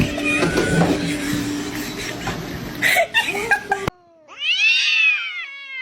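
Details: Domestic cat meowing: after a few seconds of mixed voices, laughter and background noise, one long, drawn-out meow rises and then falls in pitch, followed by a brief quiet tail.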